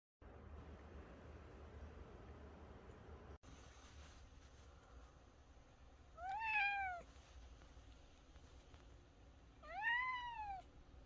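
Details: A six-year-old male cat talks insistently in the morning to wake its sleeping owner. It gives two clear, drawn-out meows about three and a half seconds apart, each rising then falling, over a quiet low indoor hum.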